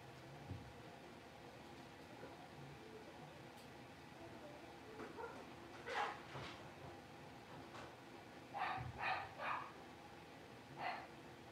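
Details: Five blenheim Cavalier King Charles Spaniel puppies, two girls and three boys born at New Year's, moved into a big indoor puppy pen; short sharp yips come in scattered clusters, a few single, then three quick ones, over a steady low room hum.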